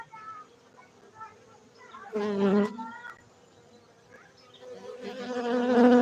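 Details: Honey bees from a beekeeping site in Bener Meriah, Gayo highlands of Aceh, Indonesia; a faint hum broken by a sudden loud buzzing pass, then a swelling drone as bees come close.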